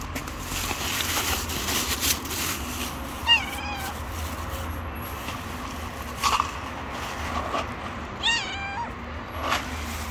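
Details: Street-living stray domestic cat gently meowing while asking for food: three wavering harmonic meows spaced a few seconds apart, over a constant low rumble with scattered clicks and knocks.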